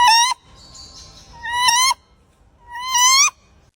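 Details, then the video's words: A spider monkey gives three loud, shrill, rising screams about a second and a half apart, with quiet background noise between them. "This is a spider monkey. It makes loud calls and screams."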